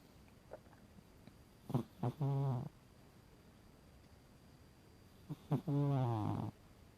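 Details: Pet cat named Emporess, asleep, snoring: two low, throaty, wavering rasps about four seconds apart, each starting with short catches and swelling into a longer buzzing breath, quiet room between them.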